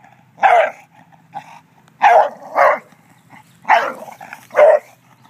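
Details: An English Bulldog named Charles, jealous of a statue, gives harsh, gruff barks, often in close pairs, with short pauses between.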